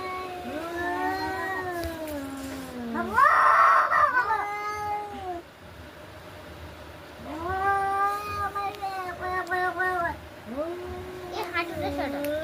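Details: Domestic cats fighting, long wavering yowls with rich harmonics rising and falling in pitch, one louder strained wail near the fourth second, then repeated drawn-out moans; faint human voices in the background.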